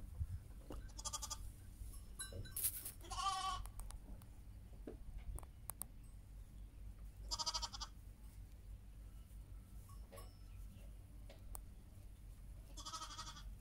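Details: Heidschnucke sheep together with their lambs, giving several short, quavering bleats spread through the recording, some near and some farther off, with scattered clicks, knocks and steady low background rumble.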